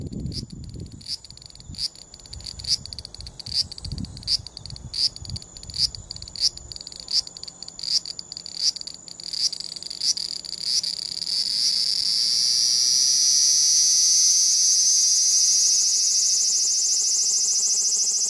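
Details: Large brown cicada recorded on a compact digital camera, which distorts the loudest parts. A choppy, rapidly pulsed grating buzz, the pattern given while moving, smooths after about eleven seconds into one steady high sizzling drone, given while sitting still.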